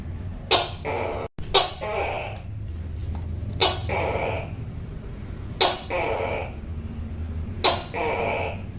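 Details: Loud Tokay gecko calls, each a brief sharp onset then a hoarse croak, repeated roughly every two seconds, with a constant low rumble underneath and one short dropout.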